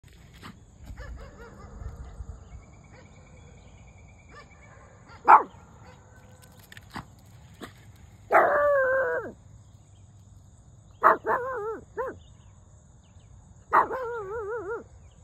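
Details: A Shih Tzu puppy in a standoff with a goat gives short, sharp barks spaced a few seconds apart, meaning "go home"; the goat answers with long, quavering, tremulous bleats between and after the barks.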